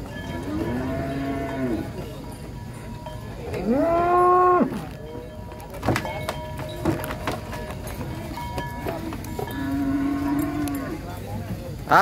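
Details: Giant cows unloaded from a truck in Indonesia call out in arched, harmonic moos: a rising and falling bellow in the middle, softer moos at the start and end, over clanking, faint music and background noise.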